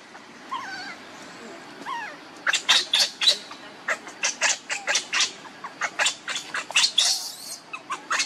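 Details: A cute baby monkey, cared for by its mother Luna, gives a few thin rising chirps, then a long run of loud, high, clipped squeaks repeated several times a second, rough and insistent.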